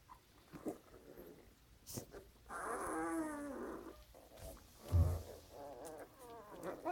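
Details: Puppy grunting: one drawn-out, wavering, harmonic grunt in the middle, with a few short soft snuffles before and a brief low thump near the end.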